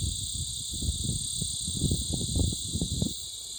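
Insects keep up a loud, steady, high-pitched buzz over low rumbling and thumping.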